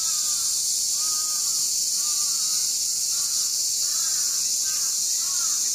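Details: Cicada chorus on August 1 at a stream garden: a steady, shrill, high droning wall of sound. Short, mid-pitched, arching calls from another creature repeat beneath it about once a second.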